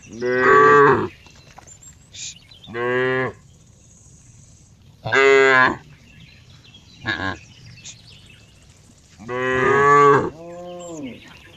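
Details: Cow giving repeated loud moos, five main bellows spread across the recording, each rich in harmonics, with a couple of brief higher sharp sounds in between; otherwise quiet background.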